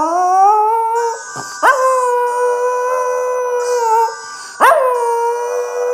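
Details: A 2½-year-old male Miniature Schnauzer "sings" to the music Pachelbel's Chicken, howling in long, sustained, wavering notes that each rise at the start, across three drawn-out phrases, with the music faint in the background.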